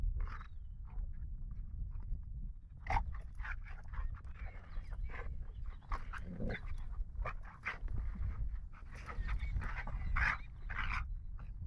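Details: A 9-month-old Rottweiler playing with a companion in a park pants and huffs in quick breathy bursts, with a heavy low rumble of wind behind.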